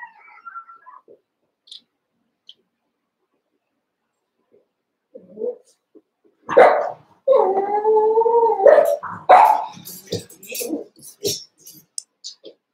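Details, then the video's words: ['Cavalier King Charles Spaniel puppies playing in a pen; a sharp yap is followed by a drawn-out wavering puppy howl over a second long, then a scatter of short barks and scuffling.'] "One Month Old Cavalier Puppies Wrestle and Play"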